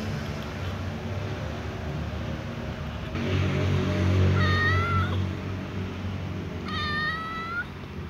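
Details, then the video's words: Little cat meowing while indifferent to toys; two clear, drawn-out meows about two seconds apart, each gently rising then dipping, with rich overtones over a steady low background hum. "little cat meows indifferent to toys"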